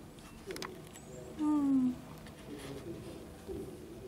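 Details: A young kitten from a litter that has just opened its eyes gives one short, falling mew lasting about half a second in a quiet indoor room, with faint soft rustles and taps before and after.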